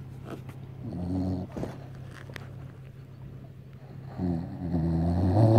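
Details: Female Beagle dozing on a fishing boat after enjoying the sun, giving low, buzzing snores, two drawn-out rattling breaths separated by quieter stretches, over a steady engine-like hum.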